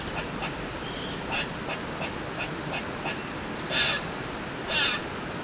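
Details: Squirrel noisily calling from a balcony for no clear reason: scattered soft ticks, then two loud harsh rasping bursts about a second apart near the end, over steady hiss.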